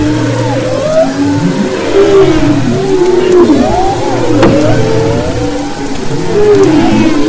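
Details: Humpback whales off the west coast of Maui, February 2011, singing in layered chorus: drawn-out tonal moans bending up and down, one sharp click-like pop midway, over a constant low drone.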